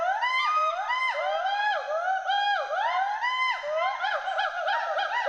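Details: Playful Western hoolock gibbons, two animals in the trees of Hollongapar Gibbon Sanctuary, Assam, trade loud looping whoops, rising-then-dropping notes that overlap continuously and quicken toward the end.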